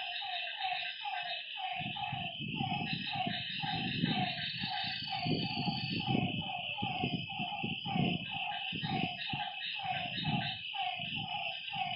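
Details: A night chorus of frogs at a lake: rows of short, nasal, mid-pitched notes come roughly twice per second from several callers. A constant high insect drone fills the background, and low muffled thumps start after two seconds.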